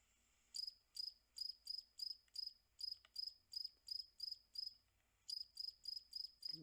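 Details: A single male cricket chirps at normal speed in quick, regular bursts of high, pure-toned pulses, with a brief pause midway.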